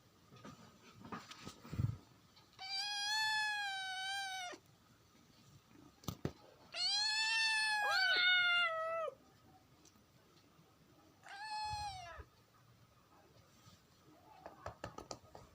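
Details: Kitten in India giving three loud, drawn-out meows separated by quiet gaps, the middle one longest and wavering, with soft room sounds and small knocks between calls.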